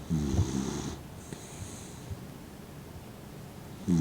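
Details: Mint, a 15-year-old blind dog, snores while sleeping with his eyes half open. A loud rasping snore opens the moment, quiet breathing follows, and another snore begins right at the end.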